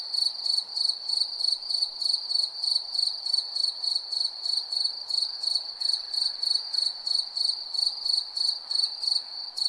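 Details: Persistent nocturnal cricket song: bright, high chirps repeated about three times each second without pause for the whole stretch, layered on a steady whining tone.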